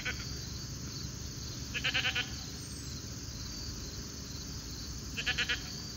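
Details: Alpacas grazing on a late summer evening; two short stuttering bursts of rapid pulsed, buzzy notes, each under half a second, about three seconds apart, over a steady high insect-like hiss and low outdoor rumble.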